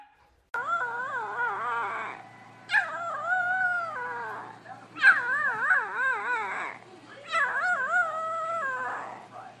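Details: Puppy howls with a wavering, warbling pitch, four long quavering cries separated by short pauses, over a low steady hum.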